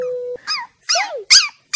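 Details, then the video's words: Samoyed puppy squeaking: three loud, high, harmonic-rich squeals with arching rising-then-falling pitch, each about a quarter second long, after a short steady tone and before a fourth squeak. "Funny sqeaking dog"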